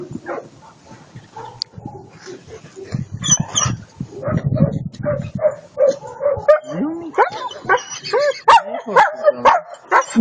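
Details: Attila ot Salmoxis, a German Shepherd puppy of eight months, makes low grumbles, then rising and falling whines and sharp yelps that come faster toward the end, with human voices talking over the first half.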